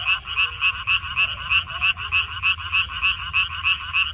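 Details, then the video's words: Frogs in a water parsley field, recorded 14 May 2021, croak in a steady chorus: bright, clipped, rattling notes repeat evenly about three times a second, with a faint lower tone briefly behind them and soft background rumble. "고향 생각 나게 해주는 개구리 소리, 미나리밭의 그놈들, Croaks of Frogs, Sounds of frogs, Song of frogs"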